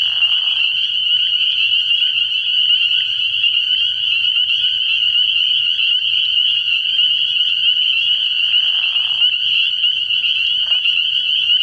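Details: Spring peepers calling from a frog pond at night early in the year: a dense, unbroken chorus of shrill high peeps merging into a steady ringing wall of sound, with short lower-pitched bursts near the start and around eight seconds.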